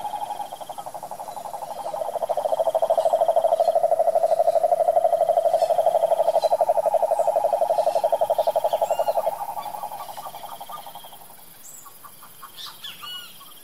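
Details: A wild cane toad in the Brazilian Pantanal sertão sustains a rapid, even, pulsed trill for about nine seconds, then falls silent; faint chirping birds follow in the background.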